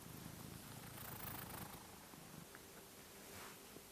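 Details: Sleeping pet cat's snoring, secretly recorded and played five times faster, giving a fart-like effect; a quieter, fast low rumbling flutter that fades after the first two seconds into faint hiss with a steady low hum.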